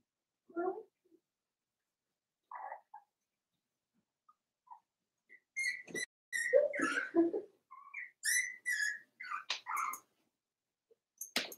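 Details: Four-week-old Cavalier King Charles Spaniel puppies from Daisy's litter in their indoor puppy pen, giving short high whines and squeaks in scattered bursts, busier and overlapping in the second half, with light clicks and scuffles.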